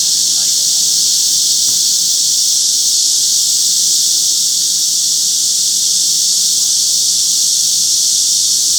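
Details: Korean summer chorus of cicadas and wart-biters, Forsythia Park, Sinsa, Seoul, late morning of 26 July 2025, a hot, humid day. An unbroken, shrill, sizzling wall of insect sound fills every second, with a faint brief extra note early on.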